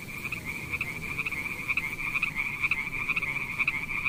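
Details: A pond full of frogs calling in a continuous buzzing chorus, overlapping pulsed croaks with louder bursts about every half second and a constant low background rumble.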